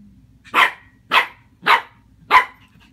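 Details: A 15.5-week-old Shih Tzu puppy meeting a watermelon gives four short, sharp barks about half a second apart.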